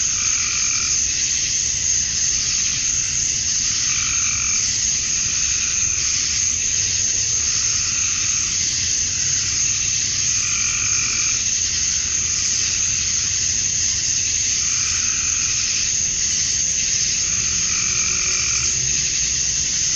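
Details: A dusk chorus of male cicadas in Georgia, USA, calling to attract females on a summer night: a constant, piercing hiss. Deeper pulsing calls from another creature swell and recede roughly every three to four seconds beneath it.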